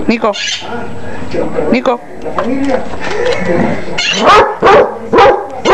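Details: Basset hound barking: after a stretch of human talk, a quick run of four short, loud, rough barks bursts out near the end, spaced under a second apart.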